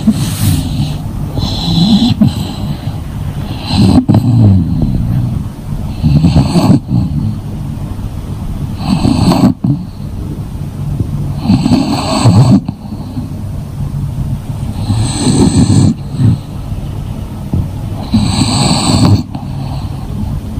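An English Bulldog snores loudly in deep, rasping breaths repeated every few seconds.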